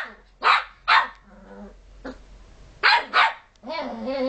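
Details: A puppy pesters other dogs who want to sleep. It gives two pairs of sharp, harmonic barks with a short vocal murmur between them. The clip ends with a longer, tonal whine-like sound.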